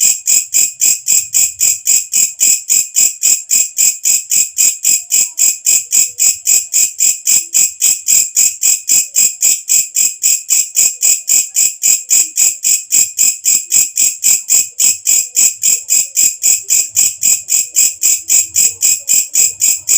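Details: Nocturnal katydid called walang kecek, loud enough that bird keepers use it as a tutor call; a long steady run of high, ringing buzzy pulses, about four each second, unchanging throughout, with nothing else audible.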